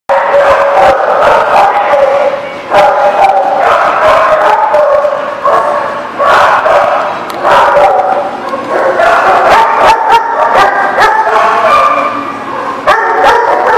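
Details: Many dogs barking together loudly and without pause, overlapping barks and yelps forming a dense continuous chorus with sharp clatters mixed in.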